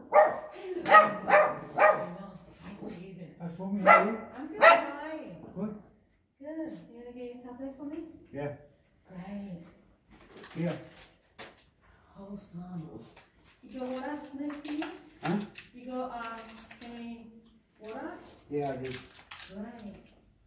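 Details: Chihuahua barking indoors at a neighbour at the door: a burst of sharp, high, rapidly repeated yaps in the first five seconds, with a few more later, while people talk through most of the rest.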